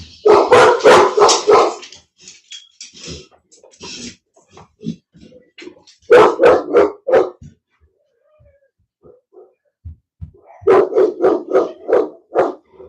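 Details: Cane Corso (Italian Mastiff) at a kennel west of Nashville, Tennessee, barking in three rapid volleys of loud, deep, repeated barks, separated by quieter gaps with softer scattered sounds, in what seems to be a small indoor room.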